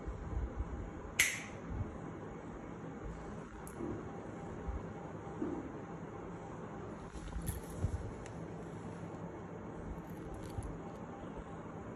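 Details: Quiet indoor room with a low hum, a sharp snap or click near the start and a few faint clicks and knocks later; no animal voice is heard.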